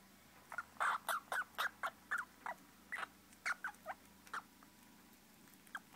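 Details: Baby squirrels giving a series of short squeaky chirps, roughly a dozen quick calls bunched over three and a half seconds, then a pause before a final squeak.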